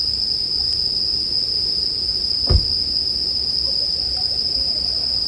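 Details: Continuous shrill ringing of bell crickets holds level, while a campfire crackles low with one sharp pop midway.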